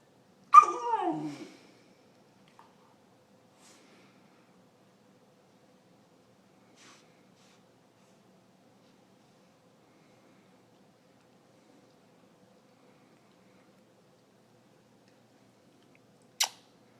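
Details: Vizsla puppy Sydney, a 16-and-a-half-week-old female, restless indoors with cabin fever on a rainy Sunday afternoon; one loud, harsh bark-like yelp with falling harmonics at the start, then near silence, ending with a sharp click.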